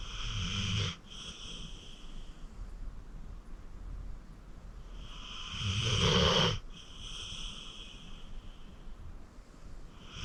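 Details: Acorn, a 14-year-old rescued senior pit bull and deep sleeper, snoring while asleep at home: two wheezy, whistling snore breaths about five seconds apart, each a rasping rush with a thin high whistle, with quiet breathing between.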